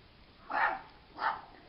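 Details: Female Schipperke puppy, born December 4, 2016, letting out two sharp, bright barks roughly two-thirds of a second apart against a quiet background.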